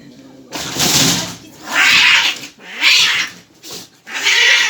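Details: Agitated cat at the vet, behaving like a tiger; four loud broad hissing, spitting yowls about once a second with gaps between, and a person's calming voice in the background.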